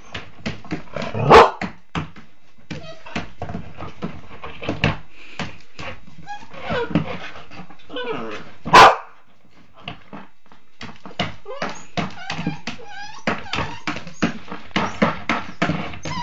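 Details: Border Collie puppy, a hungry young female, going after her dog food unaided in a small room: scattered short yips and barks with bumping, clattering noises throughout, two louder bursts, and a human voice in the background.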